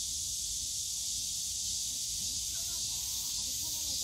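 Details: Continuous high, sizzling cicada drone in Yongsan Family Park's bamboo forest on a summer day; faint human voices come in near the end beneath the buzz.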